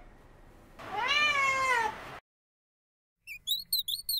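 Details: Rescued female tortoiseshell cat lying belly-up on top of a refrigerator, relaxing and dozing, filmed secretly from a distance: one drawn-out meow, rising then falling over about a second, then silence and a few short, high chirpy notes.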